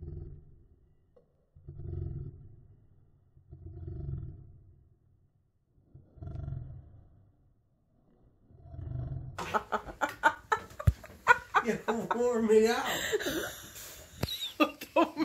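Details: Monroe, a female Siberian Husky, pins her owner in nightly play indoors, giving low rumbling growl-like grunts in four spaced bursts about two seconds apart, followed by a man's talking and laughter.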